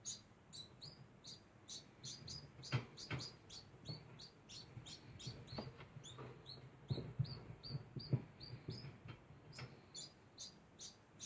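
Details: Degu making a constant sound: short high squeaks repeated about twice a second without pause, with soft low thumps and a few sharp clicks underneath.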